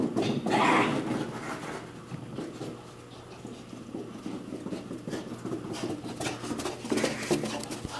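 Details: Luca, a seven-month-old German Pinscher, playing fetch: rapid, breathy panting at roughly four breaths per second, with a few louder huffs near the start and end and faint soft whimpers in between.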